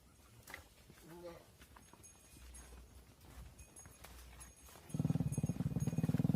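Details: Mother cows entering a barn while their calves stay outside; a deep, harmonic moo bursts out loudly near the end after a quiet stretch with faint rustling and a brief soft low call.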